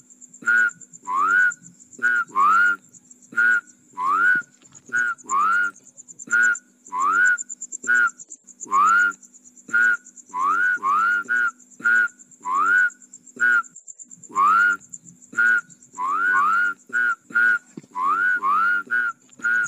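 Rice field frogs call in quick succession, each note a short, rising, whistle-like upslur over steady insect buzzing.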